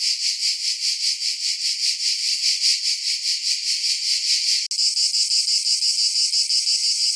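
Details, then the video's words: High cicada buzz, pulsing rhythmically for a few seconds, then an abrupt cut to a smoother, steadier drone. "Cicada Sounds - Cicada Sound Effect"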